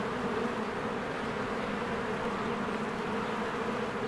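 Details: Honeybees crowd around their hive in spring, flying in and out. A short stretch of unbroken buzzing drone, full and even, with a steady low tone under the whir of many wings.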